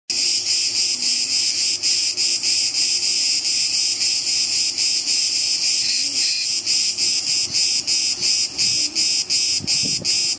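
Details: Cicada singing in a loud, continuous, high-pitched buzzing drone, pulsing rapidly at a steady rate with brief dips, sustained throughout.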